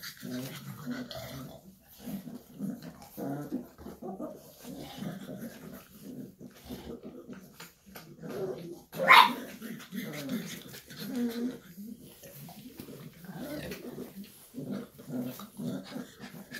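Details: Shar Pei mother with puppies, long stretch of soft low growling and grunting in rhythmic pulses, interrupted once by a loud sudden sharp yelp midway, then the rumbling resumes.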